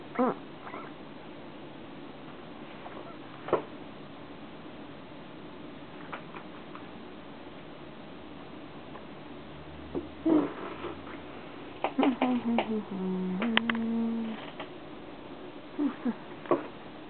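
A young corgi gives short, high whimpering whines that slide downward, between scattered soft knocks.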